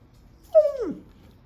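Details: A young male dog with an ear infection, taken to the vet, gives a single short whimper: a clear whine that slides downward and fades within half a second in otherwise quiet surroundings.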